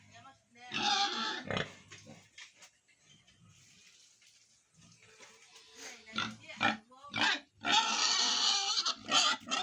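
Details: Ten-day-old piglets on a pig farm in Tripura, squealing in loud harsh bursts, repeated irregularly with quiet gaps between, plus low grunts.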